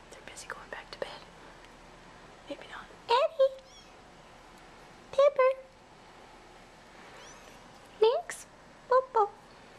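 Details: Hungry kittens in a nursery, fed by bottle every four hours, emerging from their tent for dinner. Several brief, thin, bent mews come in pairs and clusters, mixed with whispered human encouragement.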